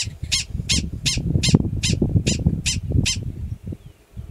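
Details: A yearling male Gunnison's prairie dog in the grasslands of Valles Caldera National Preserve, New Mexico, in April 2017, gives a rapid series of sharp, high chirps as an alarm call.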